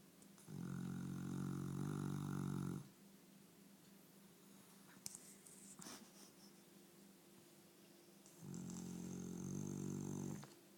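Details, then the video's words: Sleeping pet dog snoring indoors: two long, loud, low droning snores with a buzzy harmonic rattle, each lasting about two seconds, separated by a quiet pause of soft breathing. "Funny Snoring dog"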